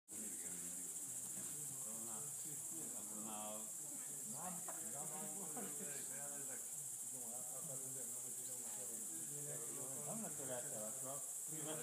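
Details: Greater mouse-eared bats at Ratkova, several calling together: overlapping bursts of harmonic, rapidly rising and falling chirps that chatter almost continuously, over a steady high hiss.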